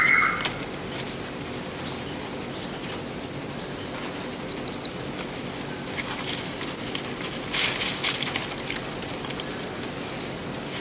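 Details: A crowd of farm-raised Thai crickets in Vietnam keeps up a continuous, high, ringing trill. A short squeal opens the recording, and faint rustles are scattered through it.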